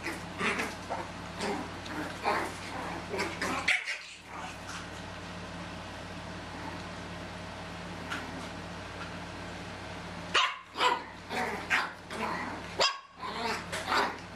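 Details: Playing Chihuahua puppies, two litters aged 10 and 13 and a half weeks, indoors in a carport: bursts of rapid yappy barks and yips at the start and end, a quieter stretch in between, constant electrical hum beneath.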